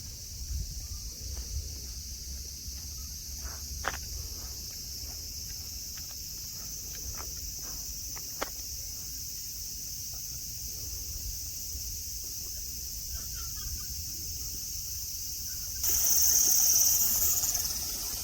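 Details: At Nara Park, Japan, among friendly deer on sunny grassland, cicadas keep up an unbroken high-pitched whine; the drone swells noticeably louder near the end, with light footsteps and clicks earlier.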